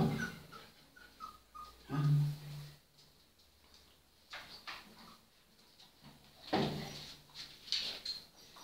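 Golden Retriever puppies give a few low, short growly barks and soft whines, scattered over scuffling and knocking sounds from play indoors.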